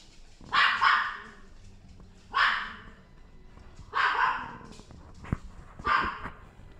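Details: Cream female Chihuahua from a pet shop, born 2018, barking four times at irregular intervals of one to two seconds, each bark sharp and high, with a faint click between barks and a low background hum.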